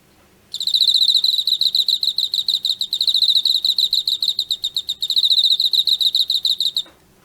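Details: Emma field cricket caught in autumn, kept as a pet, chirping in a steady series of short high trills, about three to four pulses per second, clear and continuous for six seconds over a faint low hum.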